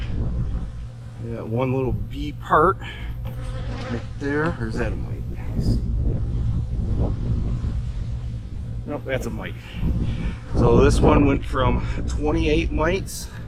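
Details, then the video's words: Honey bee hives in autumn during fall preparation for winter: a steady, low, droning hum from the colonies runs throughout, with a person's voice talking in short bursts over it. "My hives are humming along in the fall!"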